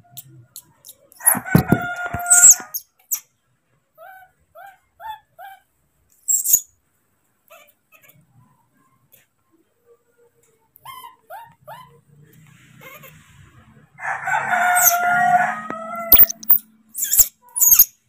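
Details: Furious baby monkey Moni, left for a while by his father who is picking fruit, lets out a harsh rasping scream, then soft repeated chirps, then another long grating scream and a few sharp clicks.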